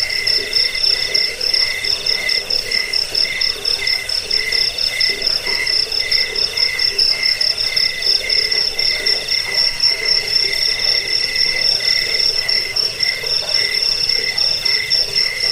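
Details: Chirping crickets, played to repel rats, help sleep and tutor birds: fast, evenly spaced high pulses, several per second, layered over a lower trill, an unbroken chorus from start to finish.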